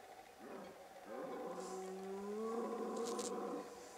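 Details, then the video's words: Male red deer bellowing during the breeding season in late September in the Pyrenees mountains, in high summer pastures shared with cattle and horses. One long, harmonic roar swells and rises steadily in pitch for about three seconds before fading. "Brame du cerf"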